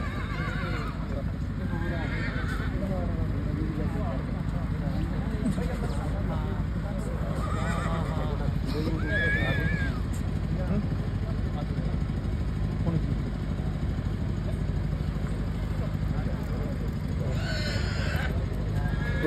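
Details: Horse, billed as the world's most powerful, at a crowded 2024 fair, giving several short whinnies with arching, wavering harmonics amid constant crowd chatter, a loudspeaker voice, music and low rumbling noise.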